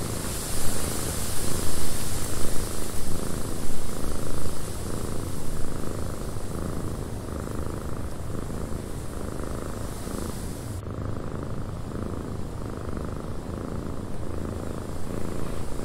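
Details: Purring cat in a cabin with wind outside; a soft, low, throbbing purr runs steadily throughout, with a brighter wind hiss fading out partway through.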